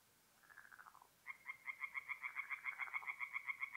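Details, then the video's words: Tree frog at a forest pond at night in north-east Italy, mid April; a short lower run of pulses, a pause, then a clear series of sharp regular croaks about four per second over quiet background. "relaxing forest pond by night with singing tree frogs"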